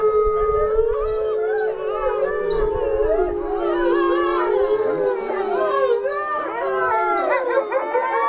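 Several wolves howl together, long steady tones overlapping with wavering, sliding voices.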